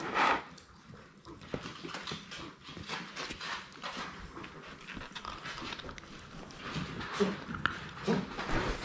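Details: Six Labrador Retriever puppies, six weeks old, romp together in an indoor playroom: a brief high whine at the start, then steady scuffling and rustling of play, with short low yelps and whimpers near the end.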